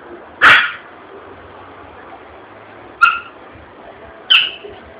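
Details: Yorkshire Terrier frightened by an exploding balloon in a shopping area of Vitória da Conquista. A loud sharp burst comes first, then two short, high, harmonic yelps about a second and a half apart, with steady background hum between them.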